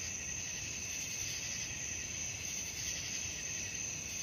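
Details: Crickets calling at night, offered as a sleep-aid soundscape: a dense, steady, shrill trilling chorus with a high ringing band and softer pulsing lower tones, continuous throughout with faint low rumble underneath.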